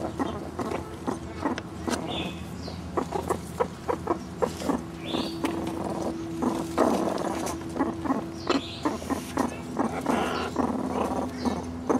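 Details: Three one-year-old captive meerkats forage for bugs, beetles and hidden mealworms in an overgrown enclosure, giving short harmonic chirps and a long steady tonal call amid dense rapid clicking and rustling from digging.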